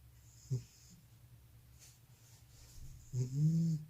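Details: Old house cat with sleep apnea snoring inside a room: a short snort, a long near-silent gap, then a rising, nasal, whistling snore that swells toward the end.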